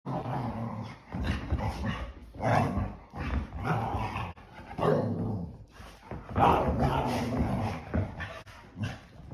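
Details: Two English Springer Spaniels romp indoors on a rainy day, burning off energy after staying in all day; rough, gruff growls and snarls come in repeated bursts of a second or so, with short pauses between.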